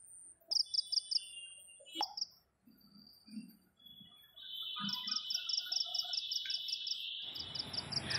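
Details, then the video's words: Crickets in a garden at night give short, high chirps of a few rapid pulses over a steady insect trill. The night is cloudy and cool with a breeze after hot days, and the moon is showing. "ঝিঝি পোকা ডাকছে। শুনতে পাচ্ছেন কি সবাই?"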